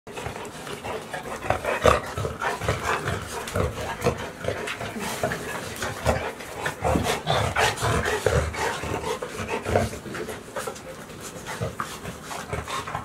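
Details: Golden Retriever puppies, 65 days old, Sky, San and Hina, out on a walk at Ain village on 29 June 2018, a hot day just after the rainy season ended; rough, breathy bursts come in quick, uneven succession throughout.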